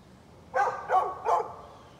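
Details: Three quick barks, evenly spaced about a third of a second apart, from a neighbor's dog recorded on 13 November 2020, against low steady background hum.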